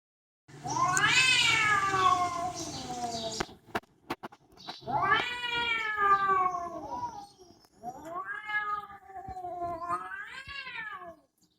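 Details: Domestic cat meowing loudly, three long drawn-out meows, each rising then falling in pitch with rich harmonics, the first strongest, separated by short pauses and a few clicks.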